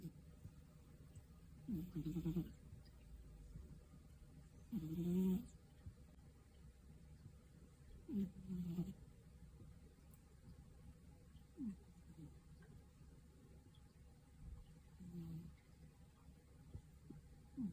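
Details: Drowsy afternoon snoring from a napping Scottish Fold: soft, low rasping breaths recur every few seconds, some louder and some faint, over a quiet indoor background.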